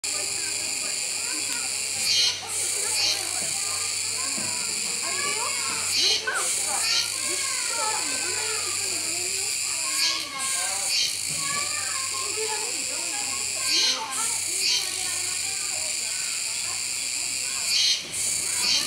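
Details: Kuroiwa cicadas calling at a zoo park in Okinawa, Japan, on 16 October 2021: a dense, steady high buzzing chorus with strong rhythmic swells every few seconds, and people chattering and children's voices underneath.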